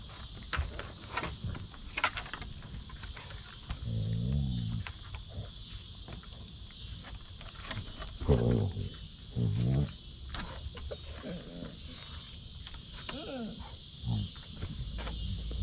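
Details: Basset Hound Mo playing with his sisters on a deck and chewing at a sister's face, giving low, rough growling grumbles in several short bursts, with steady clicking and tapping of paws throughout.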